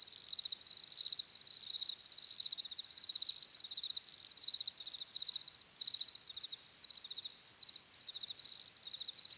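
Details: High, shrill cricket chirps pulsing in quick trains, several insects overlapping so the sound barely pauses; no other noises stand out.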